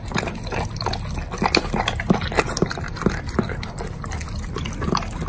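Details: A Doberman eating dog food and bacon chews noisily, with wet, crunchy clicks and smacks in quick, irregular bursts and soft slurping and lip sounds between bites.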